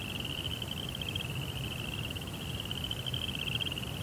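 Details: Night crickets sing a steady, shrill, rapidly pulsing trill that never pauses, the tone holding almost level over a soft low hum.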